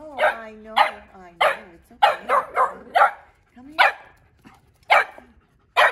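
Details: A Boston Terrier puppy meeting a French Bulldog for the first time barks nonstop in high, sharp yaps, some bunched in quick bursts, while the other dog seems unfazed.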